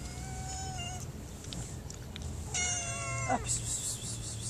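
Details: Mother cat, hungry and being given food from a woman's hand, utters a faint short meow, then after a pause a louder, rising-then-falling meow, with low background rumble.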